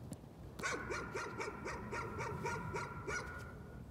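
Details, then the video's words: Nuisance barking by a dog: after a brief pause, a rapid string of around eleven yappy, harmonic barks at about four a second, evenly repeated. "Nuisance barking again."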